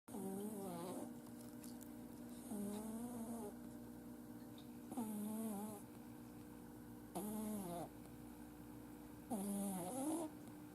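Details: Male Exotic Shorthair kitten asleep at home, which usually snores when sleeping; five rhythmic snoring breaths roughly every two seconds, each a nasal, wavering buzz with a hissy upper edge, steady faint background hum between breaths.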